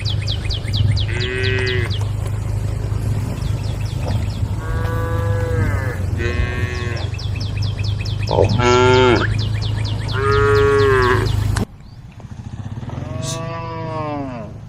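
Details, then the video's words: Cows roaming a road at a forest edge, calling the herd: several long harmonic moos, some rising then falling, come every few seconds over a steady low hum and rapid, regular high chirping in the background. "the sound of cows calling the herd"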